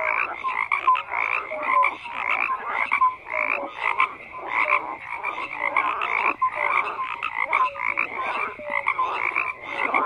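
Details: A frog chorus of rapid pulsed croaks, with short whistle-like notes recurring about every second over a steady churning background of many callers.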